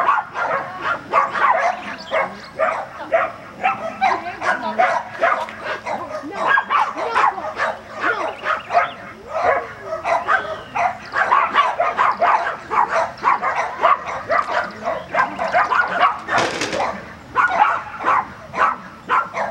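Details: Agility session with a Border Collie at Vale do Sol, Guapimirim: dense, steady barking, short sharp barks following each other almost without a break, with human voices in the background.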